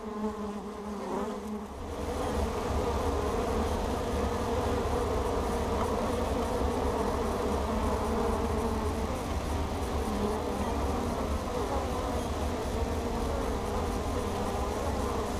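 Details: Bees streaming into their hive entrance carrying pollen, caught by a camera mounted right at the opening; after a brief quieter start the colony's low, steady buzz of wings swells and holds evenly to the end.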